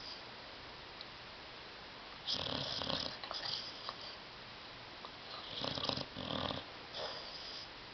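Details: A dog sleeping on a love seat and snoring loudly, with rough rasping snorts in short bursts separated by quieter gaps over steady background hiss.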